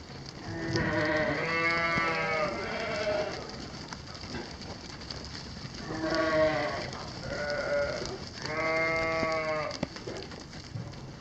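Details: Corriedale sheep in a flock, several wavering bleats overlapping, some longer and lower, others short, over steady outdoor background noise.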